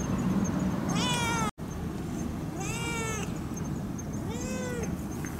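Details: Three drawn-out meows from the cat Pero-chan, spaced roughly two seconds apart, the last one lower and softer, on a September 2015 evening when she came for milk near the equinox; low background rumble throughout.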